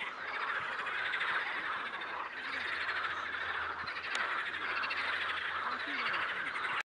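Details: Many toads calling together at a river, a constant rapid pulsed trill forming an unbroken chorus, with a brief sharp click near the middle and faint low hum beneath.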